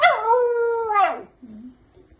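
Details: Dog keeps talking back to its owner with a drawn-out, tonal howl. It holds level for about a second, then bends down and fades, followed by a brief, softer whine.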